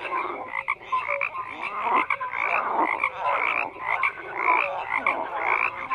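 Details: Many frogs croak at once, a thick pulsing mass of calls with short tonal chirps popping out irregularly, about two per second, and no other sounds apart from the chorus.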